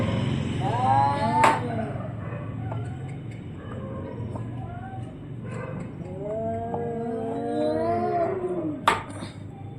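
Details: Cats, among them an orange-and-white cat, fighting while one defends its area. Drawn-out, wavering yowls bend up and down in long arcs, with sharp harsh bursts near the start and end.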